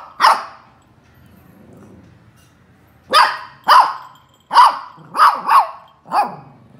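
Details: Young Lhasa Apso pup barking for the first time while playing: short sharp yappy barks, one alone then a burst of five in quick irregular succession, with a soft low growl between them.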